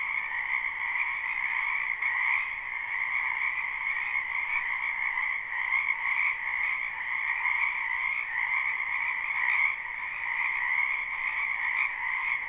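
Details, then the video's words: Spring wetland frogs calling together in a live, unlooped recording: a thick, continuous wall of rapid croaks and trills that holds an even level throughout, with no birds, people or wind heard. "Ambient Noise for Sleep Frogs Black Screen"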